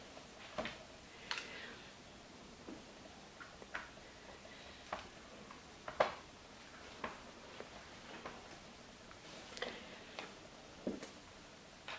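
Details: Soft scattered clicks and ticking taps in a small indoor room, with no animal voice.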